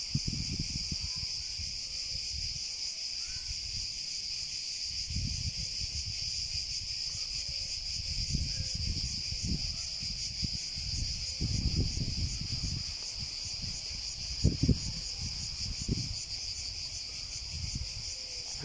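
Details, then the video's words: A long, unvarying cicada buzz fills the recording at high pitch, over repeated low rumbling gusts and thumps. "Sounds of the cicada"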